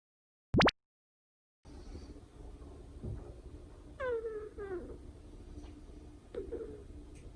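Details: Two-month-old white-and-cream Chihuahua puppy named Moko, asleep indoors; soft whining whimpers with descending harmonic slides, two clearer ones a couple of seconds apart, over low breathing noise, after a brief sharp sound and silence at the start.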